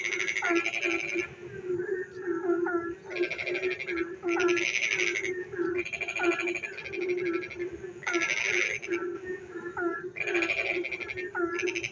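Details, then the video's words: Frogs calling in the dark on a rainy night near a village: bursts of rapid pulsed, rattling croaks about a second long recur every couple of seconds, with shorter hooked, chirping notes between them over a steady low drone. "frog singing in the dark night when it rains"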